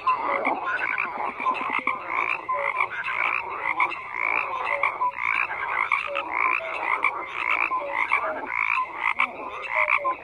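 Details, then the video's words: Dense croaking from many frogs, rapid pulsed rattles mixed with short descending whistled notes recurring every second or two, a steady unbroken chorus. "FROGS CROAKING"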